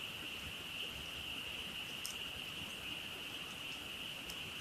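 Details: Night-time frog chorus heard from a campfire at a campsite: a steady, ringing high-pitched trill without pause, a couple of brief sharp clicks from the burning wood breaking through.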